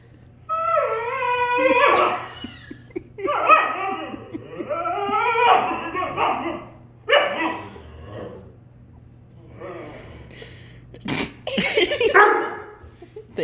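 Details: Husky Appa trading vocal back-and-forth with German Shepherd brother Arlo in a playful argument. A rising whine opens a run of varied moaning, yodelling and grumbling phrases, with a few harsh noisy bursts near the end.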